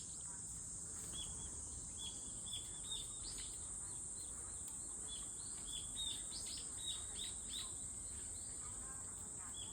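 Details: Cicada song as a constant high, thin buzzing tone, overlaid by frequent quick bird chirps in bursts.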